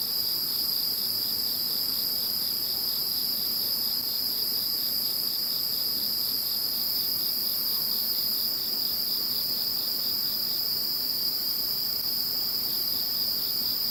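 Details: Insect voices after Typhoon No. 21 has gone: a continuous piercing multi-layered trill fills the whole stretch, joined by a lower rapid chirping pulse that comes and goes across the recording.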